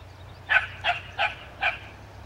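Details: A dog barking at a skunk: four sharp, mid-pitched barks spaced about every 0.4 seconds, with a low steady hum in the background.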